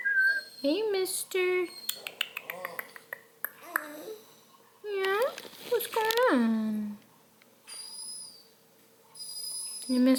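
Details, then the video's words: Redbone Coonhound puppy, apparently missing the other puppies, whining indoors: loud, harmonic-rich whimpers that slide up and down, stretched cries and short yelps in bursts, over a faint steady hum. "Whiny Redbone pup"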